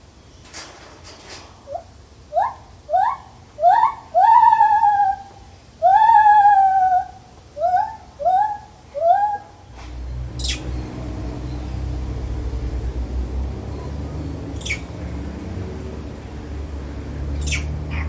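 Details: A lar gibbon in a zoo gives a series of rising, swooping hoots that quicken, then stop.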